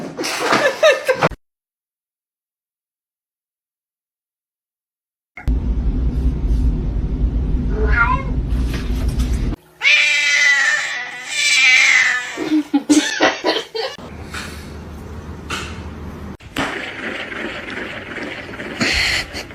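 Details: A cat in a funny cat compilation gives drawn-out, wavering meows and yowls in the middle of the clip. Around them are a brief silent gap, broad noisy stretches and abrupt cuts.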